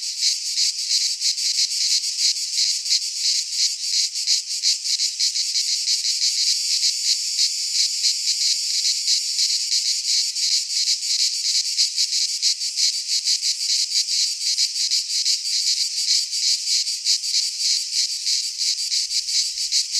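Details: Cicadas in a Greek pine forest during midsummer: a loud, steady, shimmering buzz with quick regular pulsing, briefly swelling midway, and no other sounds.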